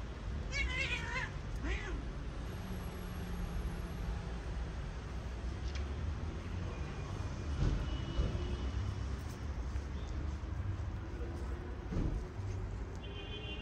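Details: Stray cat among many living in a small park with a shelter, some of them sick and sneezing: a clear rising-falling meow with stacked harmonics near the start, then quieter faint calls over steady low outdoor rumble.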